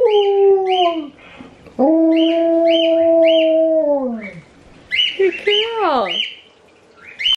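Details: A female Alaskan Malamute named Sojou calls back to relatives Ejo and Niji through a device: long, level, droning howls that bend downward at their ends, interleaved with quick bursts of high repeated chirps.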